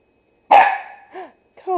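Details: Pembroke Welsh Corgi puppy, 8 weeks old, playing roughly with a Havanese indoors at night: one loud, sharp bark that trails off, then a short whine and the start of another yelp.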